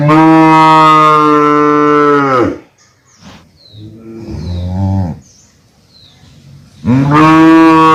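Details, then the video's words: Cow giving a loud, deep, sustained moo of over two seconds that drops off at the end, then a softer, lower grunting call, then another loud moo beginning near the end. "Cow Hamba Goru, Big Goru, Uploading Cow, Cow Videos, Cow Sound Effects Mooing Video"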